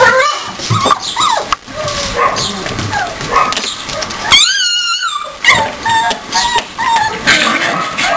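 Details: Siberian Husky puppies aged four weeks play fight together; high whimpers and yips sound throughout, and midway one pup gives a long, clear, wavering whine that rises and falls, followed by more squeaky yelps and scuffling.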